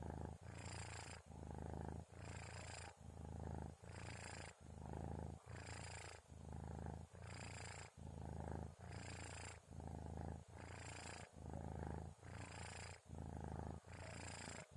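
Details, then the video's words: Kitten named Orens sleeping indoors around 2:30 at night, snoring with a steady rhythmic purr: low rumbling breaths alternating in and out, each phase under a second, continuing evenly throughout. "Suara Kucing Ngorok"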